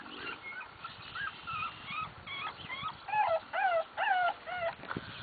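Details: Bulldog pups at play: a rapid run of high, squeaky whimpers and yips, each rising then bending down, about two per second, growing louder toward the end over faint scuffling.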